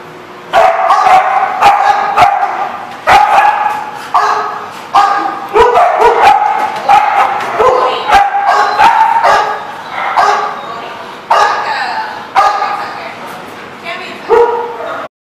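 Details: Dogs barking steadily for about fifteen seconds, a rapid run of harsh, overlapping barks with yips mixed in, echoing indoors.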